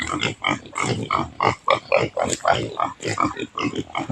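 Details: Native pig fed taro in the countryside, producing rapid, fairly irregular grunts, close to two per second, steady throughout.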